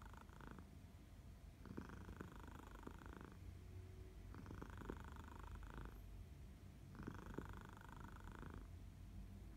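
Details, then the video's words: Domestic cat purring on a sleepy August morning in Barcelona, a second cat in the background; steady low rumbling purr throughout, with rhythmic louder bursts about every two seconds as the cat breathes in. "Min Purr"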